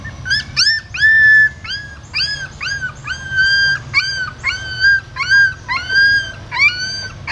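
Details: Newborn puppies in a pagoda stupa in Siem Reap, Cambodia, being moved by their mother carrying them in her mouth; a steady series of high, rising-then-flat squealing whimpers, repeated roughly every half second over low background rumble.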